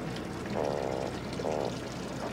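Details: A white croaker (boguchi), caught on a fishing line off Korea's west coast in summer, gives two short, buzzy, pulsed croaks like a rapid 'ppeok-ppeok' rattle. It makes this fart-like 'kkok-kkok' call with its swim bladder.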